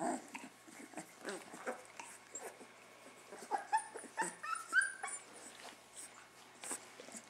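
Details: Puppies from an unexpected litter, a few weeks old, grumbling indoors: short high squeaks and whimpers in uneven bursts, a few rising thin whines near the middle, with soft rustling between.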